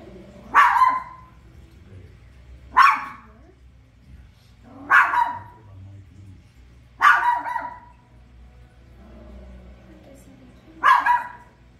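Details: Toy poodle barking while watching The Lion King indoors: five sharp, bright barks spaced about two seconds apart, with a faint low hum of the soundtrack between them.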